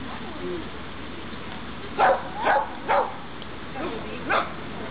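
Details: Dog barking during obedience practice on 23 June 2012; five short, sharp barks, three close together and then two more after a brief pause, over a quiet outdoor background.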